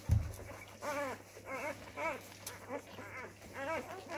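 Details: Labrador retriever puppy discovering its voice, after a thump, gives a series of short, arched, nasal yelps, rising then falling, repeated roughly every half second.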